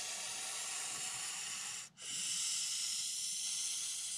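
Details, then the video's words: Montpellier snake (Malpolon monspessulanus) hissing defensively in reaction to a threat: a steady, breathy, high-pitched hiss lasting about four seconds, broken by one brief pause just before the midpoint. "Ящеричная змея (Malpolon monspessulanus). Реакция на угрозу"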